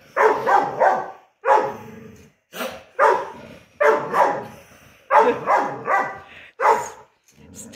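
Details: Ludo, a four-month-old pet dog, trading barks indoors early in the morning during a daily barking competition; bursts of two or three rough barks separated by pauses of about a second, with faint speech.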